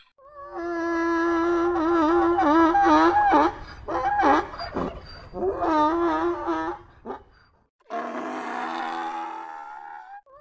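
A donkey brays loudly, a harsh, wavering honk broken into repeated gulping pulses.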